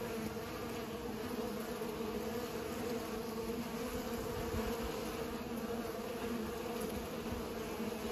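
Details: Several bees at work pollinating, their wings making a constant mid-pitched hum with a strong steady tone and fainter overtones, continuing evenly for eight seconds.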